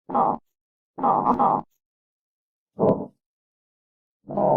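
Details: Armadillo giving low, rough grunting bursts, each about half a second long, four bursts separated by irregular pauses of one to two seconds, with silence in between.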